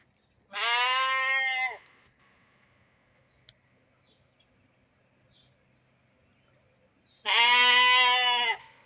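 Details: Young sheep, including fat-tailed dunba lambs, let out of their pen for exercise, give two loud harmonic bleats about six seconds apart, each lasting over a second, with quiet background between.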